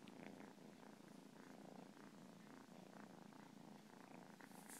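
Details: Continuous rattling purr from a cat, low and evenly pulsed, rising and falling gently with each breath, with faint scratchy rustles layered on top near the end.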